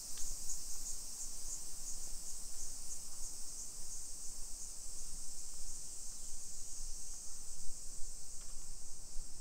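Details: Cicadas singing on a summer afternoon (1 PM, 28 July 2021) along modern suburban streets in Nisshin, about 20 km from downtown Nagoya, Japan. An unbroken, shrill buzzing wash dominates, with faint soft clicks and low rumble beneath.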